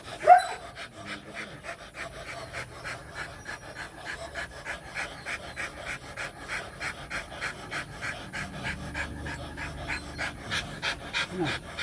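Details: Panting of a Rottweiler dog in the mating process: quick, soft, evenly spaced breathy puffs repeated steadily for about twelve seconds, fairly quiet, after a brief louder sound at the start.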